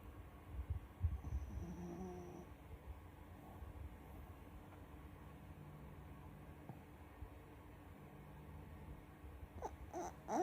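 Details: Kotaro, a mixed-breed Shih Tzu and Dachshund cross dog, sleeps soundly indoors and snores in low, soft, rumbling breaths. The snoring is strongest near the start, with faint higher tones around two seconds and a brief rustle at the end.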